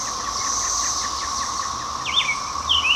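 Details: 13-year periodical cicadas of Brood XIX, emerging in spring, drone in a steady, unbroken backyard chorus, a high whining hum, loud all day; brief bird chirps and a quick twittering phrase come through near the end.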